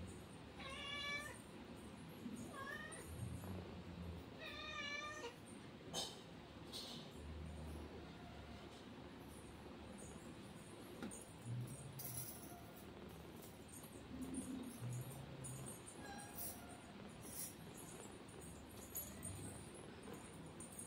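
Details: Kitten with its mother cat: two thin, high, harmonic meows near the first and fifth seconds, each briefly rising then falling, followed by quiet rustling and low background rumble.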